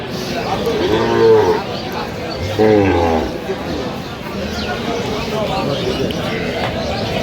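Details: Cows with calves at Aftabganj cattle market (hat), Dinajpur, on 15 November 2025: two deep, drawn-out moos about a second and a half apart, each swelling and then fading, over the steady chatter and bargaining voices of the market crowd.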